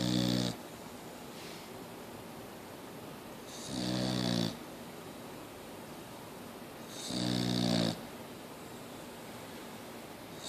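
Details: Snoring from Mia the Boxer dog: rough, rattling snores about one second long, repeating every three to three and a half seconds in a calm indoor setting.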